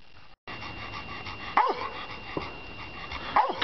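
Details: Barks from Ben, a rescued black Labrador in his new home, during a game of fetch. Three brief, sharp barks, spaced roughly a second apart, come over a man's coaxing voice telling him to fetch it.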